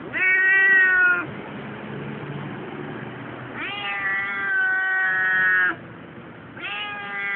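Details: Siamese cat Keiko complaining at the tram station en route to her annual vet visit; three loud wailing meows, the middle one stretched to about two seconds, with steady low rumble between calls.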